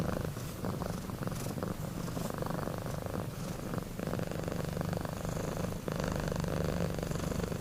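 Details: Kittens Sapi and Kebo sleeping deeply and snoring, a dense low purr-like rumble that runs almost without a break, growing slightly louder toward the end.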